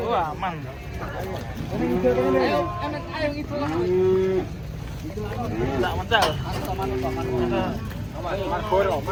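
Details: A thin cow unable to stand as cattle come off a truck, lowing in short droning moos about every two seconds, mixed with men's voices and a low rumbling motor.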